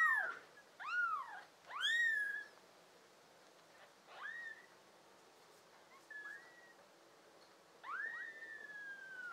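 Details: Young tabby and American Shorthair mix kittens, one of a litter of five kept as pets, June 2022: two strong, shrill meows close together open, then softer, thinner mews follow at irregular gaps, one long and drawn out.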